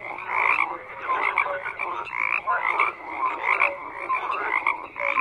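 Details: A thick frog chorus: countless overlapping croaks, some raspy and pulsed, others brief clear notes, forming a continuous rising-and-falling din with no other sounds.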